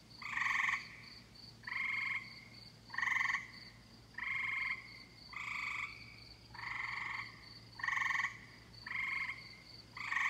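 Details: Summer chorus of tree frogs: harsh, buzzy half-second croaks arriving about once a second, some overlapping, with a faint continuous ticking trill running underneath.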